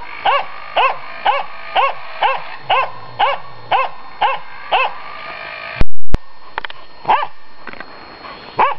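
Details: Finnish Spitz barking while confronting a raccoon dog; loud, sharp barks repeated about every half second, then a brief loud clatter and a few more barks.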